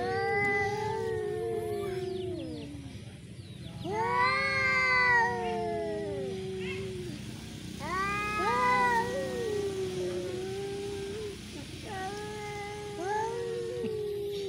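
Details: Cats in a duel, yowling at each other during a fight: long, wavering, moaning howls that rise and fall, coming in drawn-out bursts of a few seconds with short pauses between, one after another for the whole stretch.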